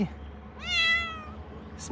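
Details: Rescued cat giving a single drawn-out meow, rising then gently falling over about three quarters of a second, harmonics stacked clearly; a short clicking noise just before the end in a quiet room.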